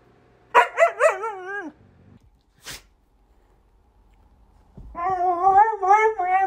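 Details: Husky indoors giving a loud vocal yowl: three quick barking yelps sliding into a falling whine, a short click, a pause, then a long wavering howl-like yowl with strong harmonics.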